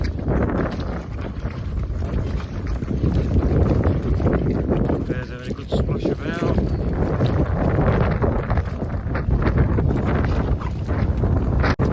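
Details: Strong wind buffets the microphone throughout while a person talks, with no animal sounds.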